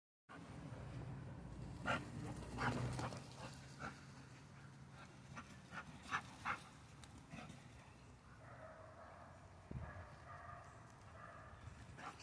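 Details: Puppy during training, giving scattered short yelps over soft, panting-like noise, then a run of thin, high, wavering whines across the last four seconds, with low background hiss throughout.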